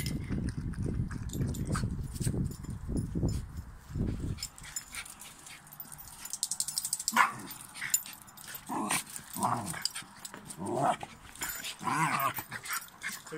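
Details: Westie pups play-fighting with two Cairn Terriers, described as good friends in the end; low rumbling growls fill the first four seconds, followed by sharp yelps, short high barks and whimpering noises amid scuffling.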